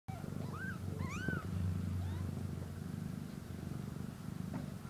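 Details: Kitten purring while eating and sleeping, a steady low rumbling throb with breathy pulses, joined early by a few short rising and falling squeaky chirps and faint background hiss.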